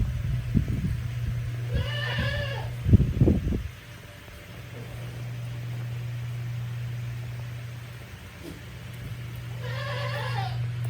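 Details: A female Tokara goat born March 2017, cooling off in the breeze of an electric fan on a small handmade goat farm in Himi, Japan, on 9 August 2020: two wavering, nasal bleats, with a steady fan hum and some knocking throughout.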